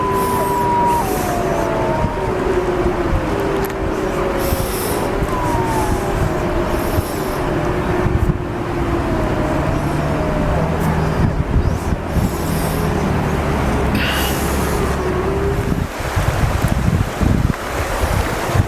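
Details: Several gray wolves of Yellowstone's Wapiti family group howl together in the morning during rallying behaviour, in long, sliding notes over a steady low rumble.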